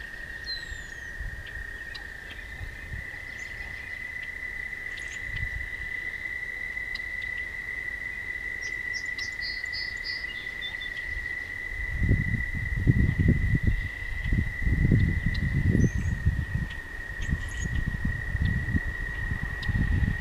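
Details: Toads trilling at night along a path, one long level high trill continuing without pause, faint chirps above, and heavy low rumbling wind or handling noise building from the middle onward.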